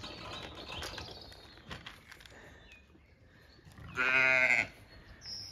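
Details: Zwartbles ewe on a farm in County Kilkenny, Ireland, on a wet St Patrick's morning, kept away from the other sheep's food and unhappy about it; one loud, harmonic, wavering bleat of about half a second amid rain and rustling.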